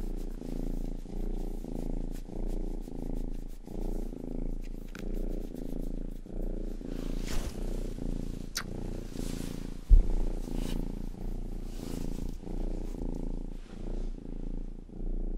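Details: Pet cat Rangi, youngest of the household, purrs indoors for an ASMR recording, each rumbling breath cycle lasting about a second and repeating steadily, with scattered crisp licking ticks and one knock near ten seconds.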